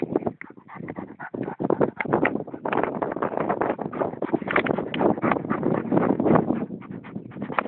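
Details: Bosnian shepherd dog of the Vlasic Tornjak type breathing hard with dense, rapid, noisy pants that grow steadier and louder toward the end.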